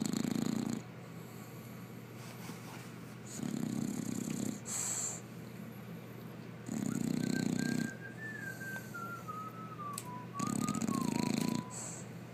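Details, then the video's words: An English Bulldog sleeps deeply and snores four times, once about every three and a half seconds. Each snore is a low, rattling burst of about a second. A thin whistling tone slides downward between the third and fourth snores. "Snoring Bulldog"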